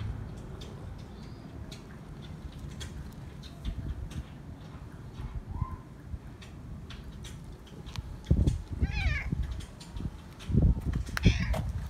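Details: Feral cat, friendly and seeking love, reluctant to let a person go: two quavering, wavering meows in the second half, each about a second long, after a faint short mew; low background rumble and scuffing.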